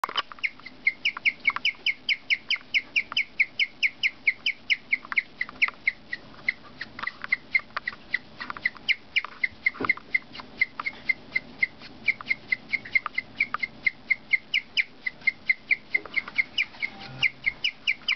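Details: Cookie, a pet guinea pig, chirping in a long steady run of short, high, bird-like chirps, roughly two per second, each a quick whistled note with a bright upper tone, continuing almost without pause throughout.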